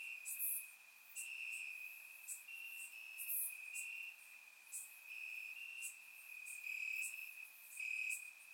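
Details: Crickets chirping in grass on a warm summer night in Bulgaria, surround recording; a steady high trill near one pitch runs throughout, with brief louder, higher chirps from other insects breaking in every few seconds.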